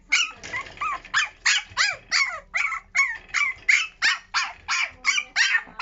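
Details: Young puppy during early toilet training, giving a steady run of high, sharp yips, about three every second, each bright and slightly bent in pitch. No other sounds stand out.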